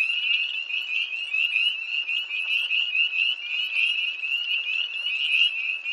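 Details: Tree frogs by a pond near Hillsborough, North Carolina, 1 March 2011, at night in cold air: many high, shrill peeping calls overlapping into a continuous, shimmering chorus with no other sounds.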